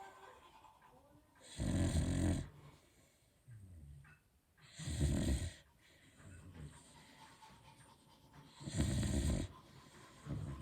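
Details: A sleeping Beagle snoring loudly, with three broad, low, rasping snores spaced about three and a half seconds apart and quiet breathing between them.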